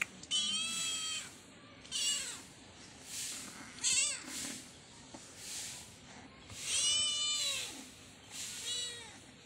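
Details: Domestic kitten at play with a black goat near their hut, giving a series of clear, tonal meows, some long and bending downward, others short and wavering, spaced a few seconds apart over quiet background.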